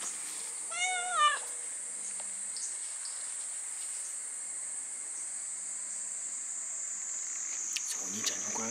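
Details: A domestic cat at a wooded shrine arbor where young black and brown tabby cats appeared. One clear, wavering meow early on, then a long stretch of buzzing cicadas and a few faint rustles.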